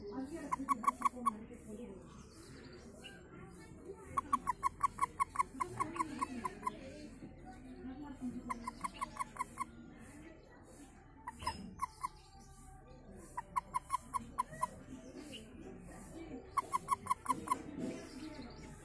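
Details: Frog giving rapid runs of five to eight clicky pulses, each burst repeated roughly every three to four seconds, with steady low background noise throughout.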